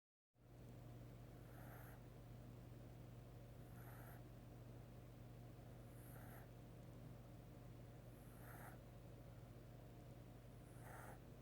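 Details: Sleeping male kitten snoring softly indoors: short breathy bursts recur about every two seconds, evenly spaced across the recording, over a steady low electrical hum.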